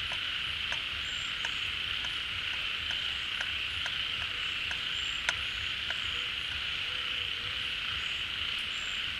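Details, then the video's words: Frogs massed at a pond as the rains bring water back, calling in a crowd. Steady, dense high trill with rhythmic clicks and a few short whistled notes scattered through. "เสียงฝูงกบร้อง Relaxing Sounds of Frogs, カエルの音, 青蛙的聲音"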